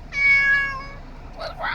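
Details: Domestic cat giving a single drawn-out, baby-like meow that holds steady then fades, followed by a person starting to speak.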